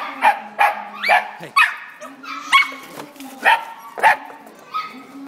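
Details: A dog yelps at an Italian Greyhound: loud, sharp, short cries, roughly one per second, some with a quick upward squeal, over a constant low electrical hum.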